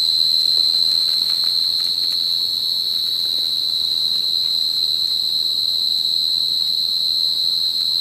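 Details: A Forbes' tree cricket (Oecanthus forbesi) in a planted prairie on September 3, 2013 sings a steady, unbroken high trill that holds one pitch throughout.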